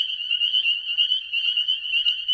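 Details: A dense chorus of spring peepers calling at night under a full moon in a backyard temporary wetland that fills with spring rain and holds no fish, a breeding site; high piercing peeps blend into a continuous shrill ringing.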